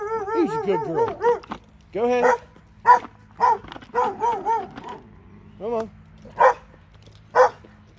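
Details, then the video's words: Two dogs in Alabama giving a rapid run of tonal, wavering yelps and howl-like cries, then a series of short, separate barks spaced roughly half a second to a second apart. "Alabama dogs"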